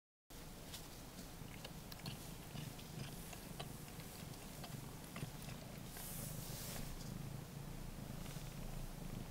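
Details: Ragdoll cats indoors: a three-week-old blue point bicolour male kitten, born 28 February 2016, with its mother licking up its urine; a steady low purr throbs underneath and wet licking clicks and smacks come throughout.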